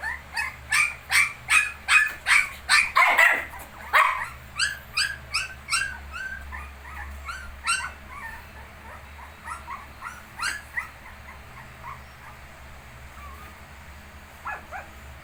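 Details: Shih tzu puppies aged 19 days yelp in a loud, rapid series of sharp cries, roughly two a second at first, then trailing off into softer scattered whimpers with a low hum beneath.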